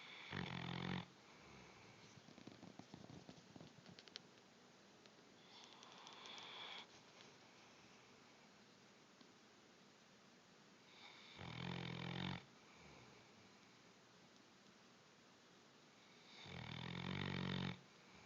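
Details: A sleeping Bloodhound snores in a room, deep rasping rumbles of about a second each, several seconds apart, with softer breathy wheezes and faint clicks in the gaps.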